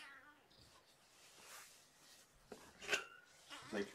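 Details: Kittens Champagne and Mimosa, believed to be sisters found by a roadside, indoors at Purrfect Pals in the evening of 2018-01-07, purring and content; a short harmonic mew opens, followed by rustling, soft clicks and handling noises in a small room.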